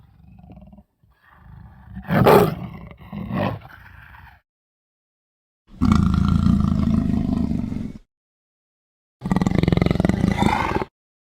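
An African leopard gives deep, rough, rumbling calls in three bursts of about two seconds each.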